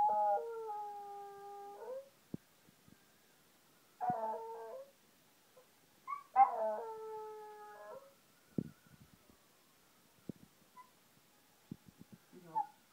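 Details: West Highland White Terrier howling along to television adverts: three drawn-out, steady-toned howls of one to two seconds each, separated by pauses, with a few faint clicks and knocks in between.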